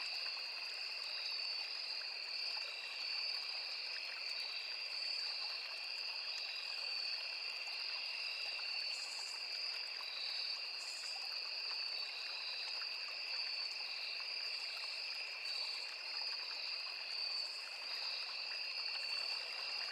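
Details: Crickets in a forest beside a small river: a dense, steady insect chorus of continuous high trilling at two bright pitch levels, unbroken for the whole stretch, over the soft constant rush of flowing stream water.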